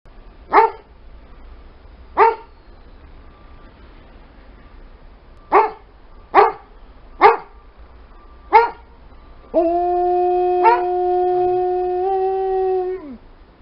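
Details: An Alaskan Malamute and a Golden Retriever give six sharp single barks at irregular gaps, then break into a long, steady, tuneful howl, a singing performance.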